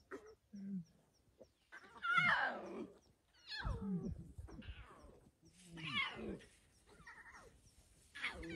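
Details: Windmill lion pride with eight cubs, 20 February 2024: several strained, grating calls, one rising then sliding down, mixed with lower moaning sounds, coming in separate bursts a second or two apart.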